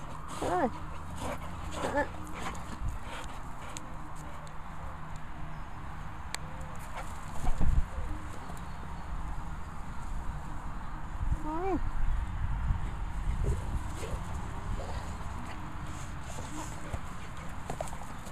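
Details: Honey, an elderly female Labrador Retriever, whining as if for sweets while actually eating her vitamins; short rising yelping whines come in scattered bursts over low steady background noise, with a few thuds.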